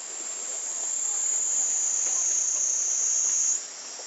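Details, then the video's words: Japanese summer cicadas, 2014, Panasonic Lumix TZ20/22 recording reportedly over 120 dB: an intense, sustained high-pitched shrilling drone building in strength, then cutting off sharply to a quieter hiss in the final half second. "Cicada sound in japanese summer over 120db!"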